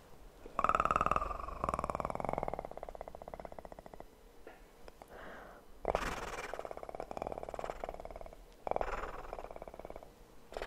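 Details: Kitten purring up close indoors for ASMR, a rough pulsing rumble that swells and fades in bursts, mixed with rustling, tapping and handling noises near the microphone.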